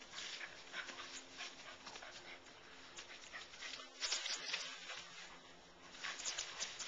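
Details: Keeshond Smutyan playing outdoors with Chase, a neighborhood Rottweiler: breathy, noisy bursts of panting and scuffling, with faint low drawn-out growl-like tones beneath and brief louder flurries midway and near the end.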